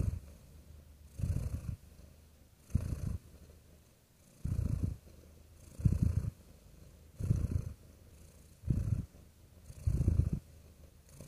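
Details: Steady purring of a real domestic cat: eight evenly spaced low rumbling pulses, each swelling then dropping to a faint hum, at a relaxed breathing pace.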